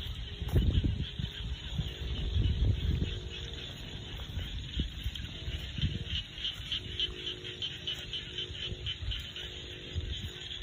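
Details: Rice-field frogs in rural Thailand give a fast series of quick, raspy pulsed notes, many callers overlapping in a continuous chorus, while gusts of low wind noise thump in the first seconds.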